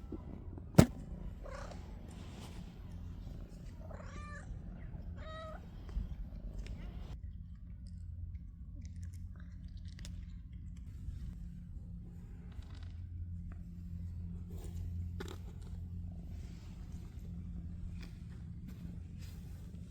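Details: Ash-grey stray cat on Cat Island, visited again after months apart, with a shy black cat nearby: a steady low purring rumble runs throughout, broken by two short rising-falling meows mid-clip and a sharp tap near the start.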